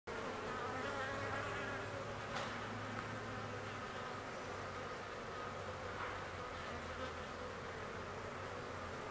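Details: Honey bee swarm with a large queen: a dense, steady droning hum of many wings, with faint low tones and no clear breaks.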